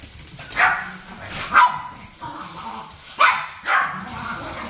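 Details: Japanese Chin barking while the parent dogs fight, the daughter siding with her mother; four loud, raspy barks in two pairs, roughly a second apart within each pair, over a steady background hiss.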